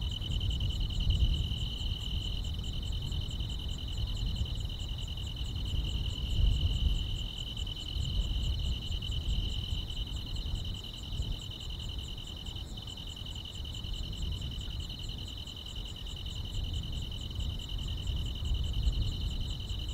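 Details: Grass insects singing through a quiet summer night in the countryside: one dense, steady high trill for twenty seconds with a fine, fast ticking above it, over persistent low background rumble.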